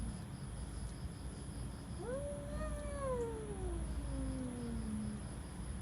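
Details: Cats threatening each other: one long, low, drawn-out moaning yowl that rises, then slides slowly downward over about three seconds, over a steady low hum.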